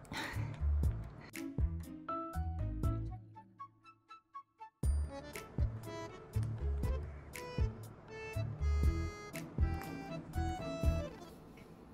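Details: Lively instrumental music with plucked and chiming notes, a short near-silent gap midway, then fuller beats; no animal voice is heard.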